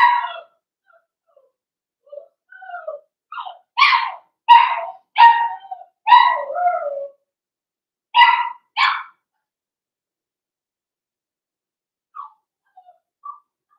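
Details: Cavalier King Charles Spaniel puppies, blenheim coloured, from a New Year's litter of five: scattered high yaps building into a quick series of sharp barks, then two more and faint whimpers near the end.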